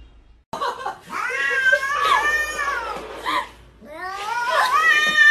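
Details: Domestic cats vocalizing: a series of drawn-out, wavering meows with rich harmonics, rising and falling in pitch, separated by short pauses, with a brief sharp chirp in between.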